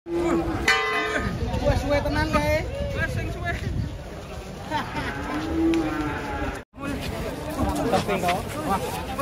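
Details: Giant black banteng cattle, described as rampaging while being unloaded from a truck, give low drawn-out moos over steady crowd chatter, men's voices and background music, with a brief dropout near the end.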